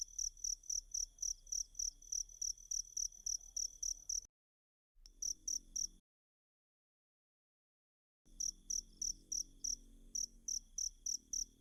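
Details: Cricket chirps used as masteran training sound for kacer birds; bright, rapid, evenly spaced high-pitched pulses broken by two abrupt silent gaps.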